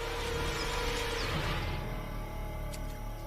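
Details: Low, brooding orchestral music with a steady drone and no animal voices. A faint whoosh passes near the end.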